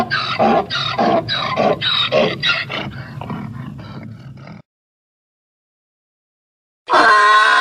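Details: Donkey braying: harsh, rhythmic rasping pulses repeated about twice a second for some four seconds, fading out, then a pause and a short loud harmonic burst at the end.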